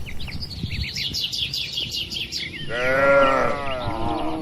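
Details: Tame cattle in a farm pen; busy bird chirping fills the first half, then one bovine moo rises over it and fades away.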